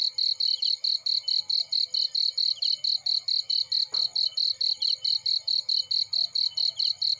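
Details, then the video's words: High, trilling cricket chirps in a field next to a burning fire, pulsing quickly and regularly, with a soft low rumble of flames and one sharp crack midway. "Warm Relaxing Fireplace In Field || Burning with Cricket Sounds"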